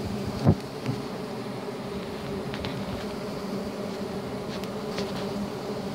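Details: Swarm of giant honey bees (Apis dorsata) on a honey hunt, giving a continuous low droning buzz with a thump early on and faint crackles and scraping above it.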